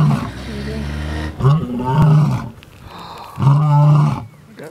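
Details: Male lion roaring to communicate with his brothers in the area, heard while tracking lions: deep, low moaning roars of about a second each, repeated in long groans with short gaps, with faint outdoor background.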